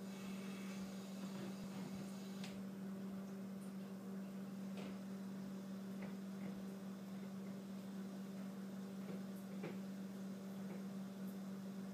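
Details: Steady low mechanical hum, like a fan or appliance indoors, with scattered soft clicks and knocks; no animal voice heard.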